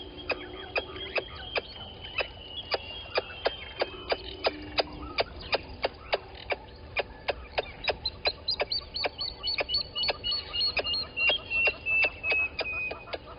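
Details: Squirrel alarming at a water monitor lizard below a waterhole camera at Gowrie dam, Djuma Game Reserve, Sabi Sand Wildtuin, South Africa, 11:45, 10/04/20: sharp clicking chucks about three per second, quickening and growing louder toward the end, with faint whistled bird notes behind.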